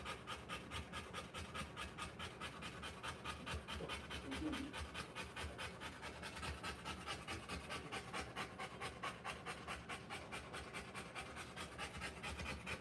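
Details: A Rottweiler in labour, delivering puppies, pants rapidly and evenly at roughly 140 breaths a minute. The breathy puffs hold steady throughout, with a faint low rustle midway.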